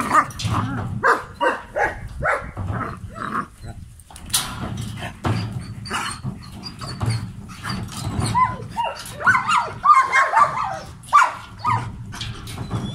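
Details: Male German Shepherd in an aggressive state, gruff barks and growly bursts in irregular clusters over a low rumbling background.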